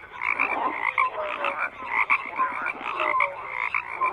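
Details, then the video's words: Frogs croaking in a dense chorus, overlapping rasping pulses and short tonal notes layered between low and high bands, steady and continuous with no gaps, part of a twelve-hour black-screen soundscape. "FROGS CROAKING"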